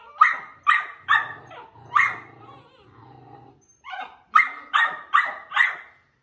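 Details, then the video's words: Pit Bull Terrier puppies meeting and play-fighting, giving bursts of shrill, rasping yaps in quick series of three or four, separated by a pause filled with soft low growling before another rapid volley of barks. "Pitbull Puppy Fighting"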